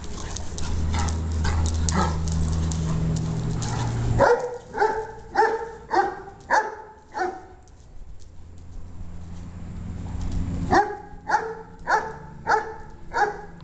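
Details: Dogs at play, barking in a quick run of about six sharp barks, then a pause and another run of similar barks, with a low rumbling hum under the first seconds.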